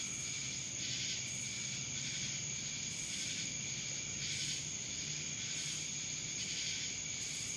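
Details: Cicadas in Dallas, Georgia, producing a steady high buzzing drone with pulsing bursts roughly twice a second, over a faint low rumble in the background.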